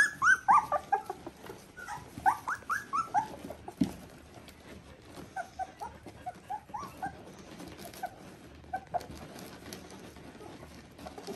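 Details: Three weeks old, Border Collie puppies of litter V2 (Ori and Cru) open with a cluster of sharp, high squeals, then drop to sparse, fainter whimpers spaced out amid quiet rustling.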